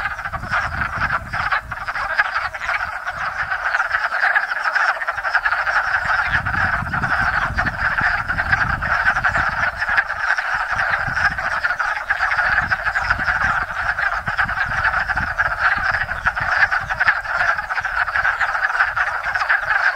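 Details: Wood frogs chorusing in spring at a small pond in Enosburgh, hundreds gathered to breed after winter frozen in woodland leaf litter; dense continuous clucking croaks overlapping in a steady din, with low rumbling noise underneath.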